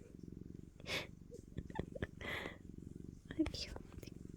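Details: Freshly woken house cat waiting to be fed gives a continuous low, rapidly pulsed purr beneath brief bursts of a woman's cooing speech and rustling.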